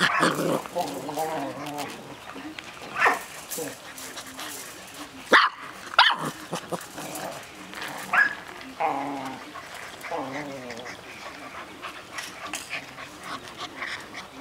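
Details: Six-week-old Golden Retriever puppies from a breeder's litter, confined in a cage, giving short, high, harmonic whines and yelps in irregular bursts over rustling and clatter, with a couple of sharp knocks midway.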